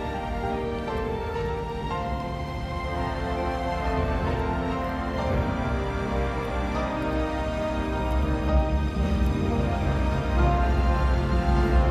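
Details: Steady instrumental background music plays throughout, with a sustained low drone and layered tones; no animal sounds are heard.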